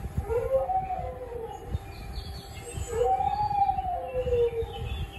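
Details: Pet dog howling in two long, wavering tonal notes that rise and fall in pitch, each lasting over a second, with steady background hum and faint higher tones.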